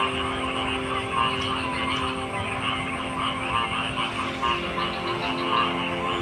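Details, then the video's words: Frogs calling in a dense, continuous chorus of pulsing croaks, with layered mid-pitched and higher trills that swell slightly about every second, over a steady low drone and constant background hiss. "Frog Sounds"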